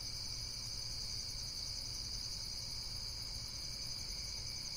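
Insects trill in a steady, high-pitched chorus over a low background rumble.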